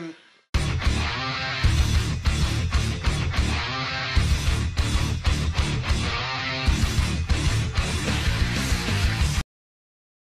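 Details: Loud strummed guitar music with heavy beats fills nearly all of it, ending in silence, with no animal voice.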